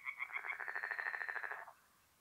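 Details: Tree frog croaking at night from a north-east Italian forest pond in mid-April, a short burst of quick, rattling pulses that ends abruptly, leaving quiet background.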